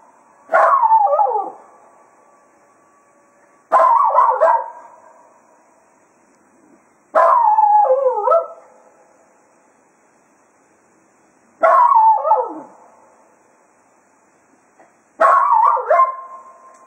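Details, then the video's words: Cato, a Jack Russell Terrier, serenades the departing hounds after a day of foxhunting at Quail Roost. Five wobbling, falling howls are repeated about every three and a half seconds. "Cato Serenading the Hounds after a Day of Hunting at Quail Roost"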